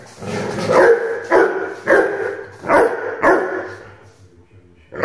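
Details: Five deep, punchy barks from an 8-month-old Rhodesian Ridgeback puppy, spaced roughly half a second to a second apart, then a short quiet pause before another bark starts.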